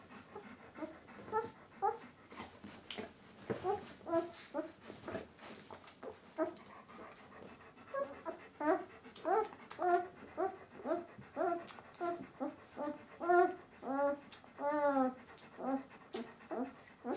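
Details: A litter of White Swiss Shepherd puppies at eleven days old, whimpering and squeaking in a steady series of short, wavering, rising-then-falling cries that grow denser and louder toward the end, in a small room.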